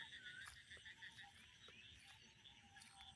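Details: Frogs croak together in a busy chorus of quick, repeated chirping notes from rice paddy fields in a rural village, on a cloudy afternoon with rain seeming about to fall.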